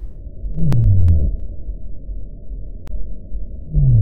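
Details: Sei whale song played from an underwater hydrophone recording: two short, deep, downward-sweeping moans, one near the start and one at the end, over a steady low rumble.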